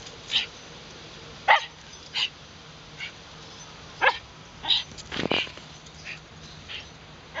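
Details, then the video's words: Wire fox terriers Muu and Moa in Shinjuku Central Park, Tokyo, recorded on a LUMIX FT1: sharp, separate barks spaced a second or more apart, with quiet outdoor background between them. "wire fox terrier むぅともあ"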